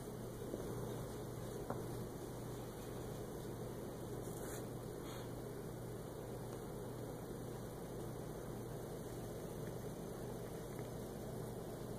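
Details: Steady low electrical hum with faint background noise and a couple of soft clicks, no animal voices.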